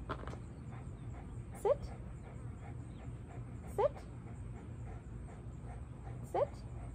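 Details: Eight-month-old German Shepherd in board-and-train work on leash pulling, reactivity and nervous behaviour in new settings, giving three short rising whines spaced about two seconds apart over steady low hum and background noise.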